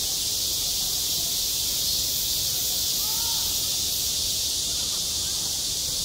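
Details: Midsummer cicada chorus over a school playground, a steady, shimmering high-pitched drone that never pauses, with a faint short sliding tone in the background near the middle.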